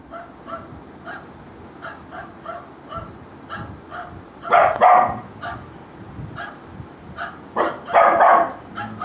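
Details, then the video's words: Golden Retriever puppy reacting to a barking sound: a string of soft, evenly spaced barks about every half second, broken by two louder, harsher bursts of barking near the middle and end. "Golden retriever puppy reaction on sound of barking"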